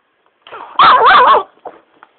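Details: Pestered pet Shiba Inu letting out one loud, harsh, wavering yelp of under a second, preceded by a soft whine and followed by faint snuffling sounds.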